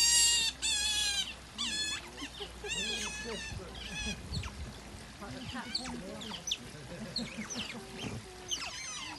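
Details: Several otters recorded on Saturday 24th February: piercing high squeals open the recording, then scattered chirps, softer whines and low grunts mix with background noise and a steady low hum.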